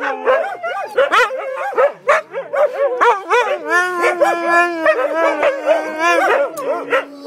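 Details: Several Siberian Huskies chattering together, a dense overlapping stream of yips, short rising-falling whines and drawn-out howl-like tones, with voices cutting across one another almost nonstop.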